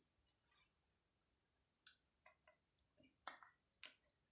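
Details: An insect trapped in a bottle holds a constant shrill, metallic trill. Scattered light clicks and taps sound around it.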